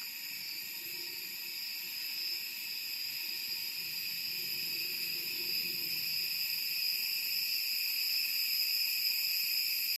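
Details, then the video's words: A constant piercing whine from cicadas in Da Lat, Vietnam's Central Highlands, during summer: several steady high tones hold without pause and grow slightly louder, over a soft low murmur. "The sound of cicadas chirping during the summer in Da Lat"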